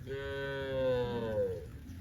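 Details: A cow grazing peacefully with a group in lush rice fields gives a long, steady moo that sags slightly in pitch before trailing off, amid breeze and natural countryside sounds.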